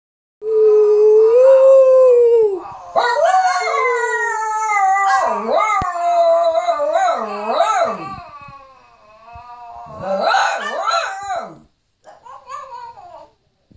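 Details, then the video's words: A Shih Tzu howls indoors, a long steady note followed by wavering, rising and falling wails, recorded on a phone. "My shih tzu's Howl"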